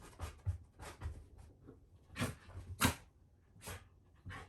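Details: Ranmaru, a Shiba Inu, sniffs around a blanket hiding a returning family member unseen for three months, inside a room; short breathy huffs and sniffs, about a dozen bursts, spaced irregularly, a few sharper puffs.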